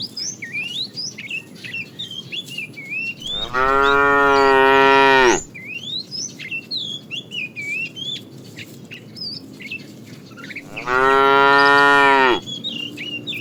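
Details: Tame cows driven each morning on a long walk to green pastures; two loud, even, drawn-out moos about seven seconds apart, each near two seconds long, with constant bird chirps and whistles throughout.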